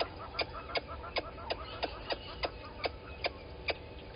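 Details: Squirrel alarming at a water monitor lizard below the camera at Gowrie dam, Djuma Game Reserve, Sabi Sand Wildtuin, South Africa, 11:45 on 10/04/20. It gives sharp clicking chucks about every third of a second over a steady background hum.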